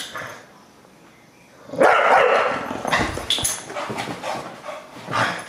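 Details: Bulldog Deisal, hostile toward the camera, bursts out after a quiet start into loud, harsh, broadband barking and growling, with several shorter gruff outbursts following.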